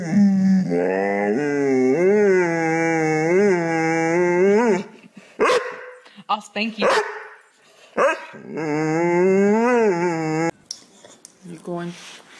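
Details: Dog 'talking' with long, undulating moaning howls whose pitch swoops up and down repeatedly, almost like speech, separated by a stretch of short clipped sounds and quieter noises before the moaning resumes.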